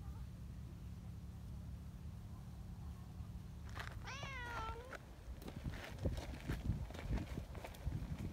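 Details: Affectionate tabby community cat giving one clear, drawn-out meow that rises and then falls, with a low rumble and handling noises before and after.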